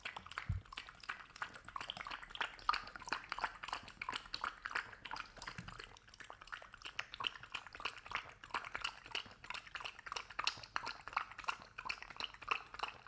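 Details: Hazel the dog eating and drinking home-made kibble mush with oatmeal, coconut oil and turmeric indoors; rapid, wet, smacking mouth sounds repeat about three times a second, loud and close throughout.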